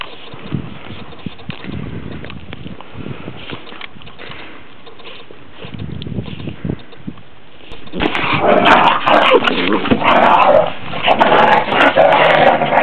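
A Pit Bull whimpers softly, then breaks into louder, rough vocalising as a person calls to it.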